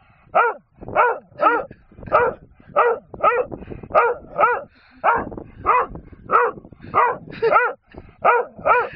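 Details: Barking dog on a hill, demanding a wooden gun it found on the hillside: repeated sharp, hoarse barks in an uneven rhythm about two or three a second, nothing else heard.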